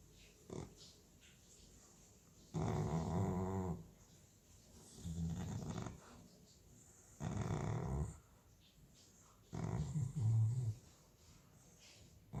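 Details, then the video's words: American Staffordshire Terrier asleep, snoring in a small room: four low, rasping snores spaced a few seconds apart, each about one to one and a half seconds long, with a quiet hiss between breaths. "Cane che russa (Dog Snoring )"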